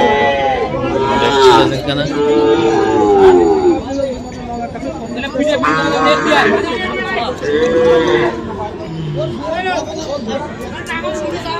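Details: Young Shahiwal bull calves at a cattle market in Mymensingh, Bangladesh, 7 February; several drawn-out, wavering moos rise and fall amid steady crowd chatter and talking voices.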